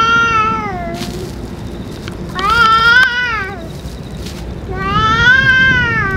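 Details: Stray cats with the boss cat fed food and medicine; three arched, tonal meows, each rising and falling, separated by short gaps with faint clicks and low background noise.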